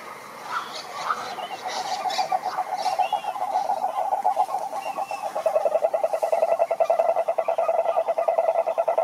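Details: Mixed chirps and short higher calls open the recording before a toad's loud, rapid pulsed trill takes over from about the fifth second, steady and mid-pitched; males croak to attract females.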